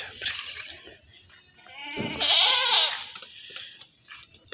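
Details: At the Singosari animal market in Malang a meat goat lets out one strained, wavering bleat lasting about a second amid a man's talk and general market noise.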